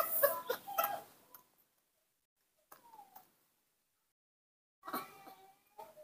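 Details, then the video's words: Hand-reared newborn monkey begging for milk indoors: short tonal squeaks, some sliding downward, in three bursts separated by pauses of roughly two seconds, with light handling noise mixed in. "makes a unique sound, cute and beautiful, that's how newborn monkeys ask for milk"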